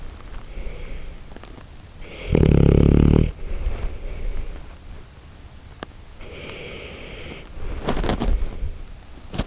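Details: Shiba Inu Koharu drifting off to sleep on an arm used as a pillow, much like a person: one loud, rough, low snore lasting about a second, then softer breathy exhalations in a quiet indoor room.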